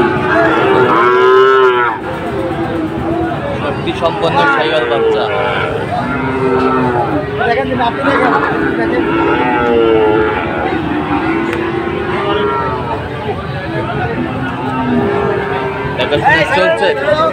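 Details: Sahiwal bulls at a Dhaka cattle market, Bangladesh, 16 September 2024: a run of loud, repeated lowing calls, each a short wavering moo, following one another every second or two amid background noise.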